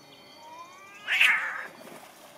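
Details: Two cats in a fight on 8.11.2015, facing the cold: a thin rising yowl breaks into a sudden harsh, noisy hiss-spit burst that fades within half a second, followed by a quieter tail.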